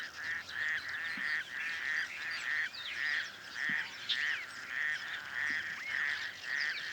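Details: A male raucous toad, hidden in reeds and calling to attract females in a small dam on the outskirts of Cape Town during breeding, gives harsh, duck-like quacking notes in a steady run, with faint bird chirps behind.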